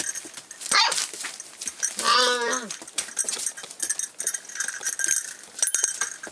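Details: Rough collie puppy at 48 days of age, recorded 29 February 2012: a single wavering yelp about half a second long stands out amid rustling, knocking and scattered clicks.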